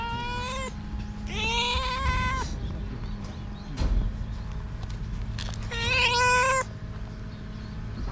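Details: Stray cats living outside give a series of long, loud meows, some rising and strained like a wail, with gaps of low background hum and rustling between calls.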